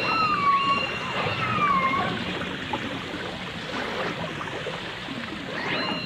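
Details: Dolphins on a 1989 full dimensional stereo recording featuring dolphins and orcas: two wavering whistles open the passage, one lower and one higher, then a brief rising whistle near the end amid bubbling, crackling underwater noise.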